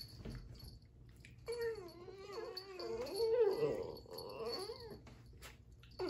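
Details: Dachshund kept with siblings, indoors; a long, wavering, high whining whimper with rising and falling bends runs for several seconds, ending in a short squeak.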